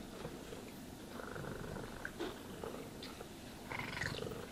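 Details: Grooming session with a cat purring: dense low vibrating purr under bristly brushing sounds and a couple of faint higher squeaks near the end.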